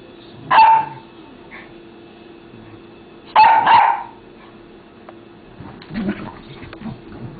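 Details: Two dogs fighting: two sharp yelping barks about three seconds apart, then lower growling and rumbling scuffle sounds toward the end.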